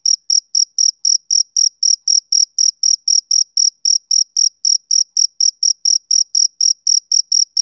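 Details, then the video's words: A male cricket chirps continuously, shrill ringing pulses coming close to four a second in a steady, unvarying pattern, with no other sounds present. "Cricket Chirping Sound Effect"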